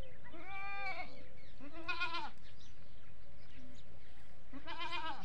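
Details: Goats with baby goats at a farm, desi breed: a run of repeated bleats, a long wavering one followed by two shorter strained bleats about every three seconds, with a constant low hum.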